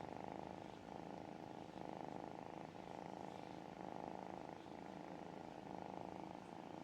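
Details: Tiny kitten softly purring while being cuddled, relaxed and content: a continuous low rumbling purr pulsing in steady breaths about every second, quiet and close, with no other sounds.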